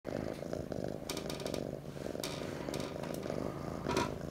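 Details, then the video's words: Jack, an orange tabby kitten, purring while he snuggles: a steady, loud, low rumbling purr that runs without a break, with short bursts of rustling or scratching noise over it. "Jack gets his purr on"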